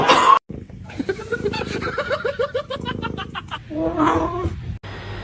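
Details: Kitten giving a quick series of short, rising, chirpy meows, about eight in two seconds, followed by a longer, lower call, with people laughing and talking nearby.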